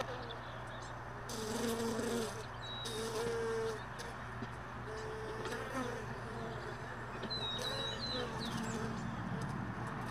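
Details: Honey bees flying near hive frames and extracted supers left in a truck bed overnight; wavering buzzy tones of individual bees passing close, rising and falling, over a continuous low hum, with a few faint high chirps.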